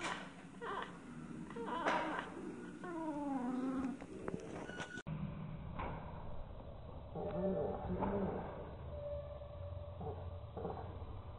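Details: Vocal house cat Niru calling at lorikeets out of reach, shown first at normal speed with wavering falling chirps, then slowed down so the calls turn deeper and more drawn out; a person asks what she is looking at.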